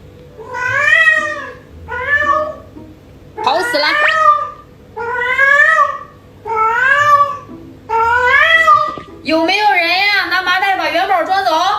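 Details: Yuanbao the pet cat indoors, meowing demandingly for more food just after eating, early morning; about seven loud, arching meows roughly every one and a half seconds, ending in a longer wavering cry, with a little speech.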